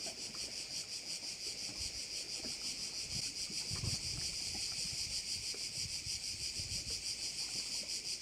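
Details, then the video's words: On the island of Korčula in Croatia, crickets by a bay produce an unbroken high buzzing chorus with a regular throbbing pulse, and a soft low rumble drifts beneath it. "Korčula - view of one of the bays in Korcula with sounds of crickets"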